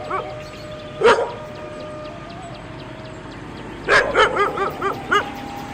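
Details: A dog gives one loud bark, falls quiet amid a steady background hiss and faint tone, then fires a rapid series of five or six yapping barks close together.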